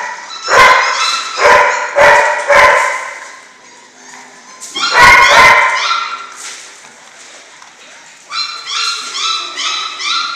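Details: Six-week-old German Shorthaired Pointer puppies of a single litter give a few sharp yelps, then a quieter stretch, a cluster of yips, and finally a run of high, wavering whines repeated about twice a second.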